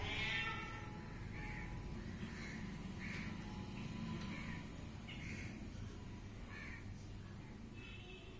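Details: Kitten mewing: a run of short, high, thin mews repeated roughly every half second to second, fairly faint over a steady low rumble of background noise.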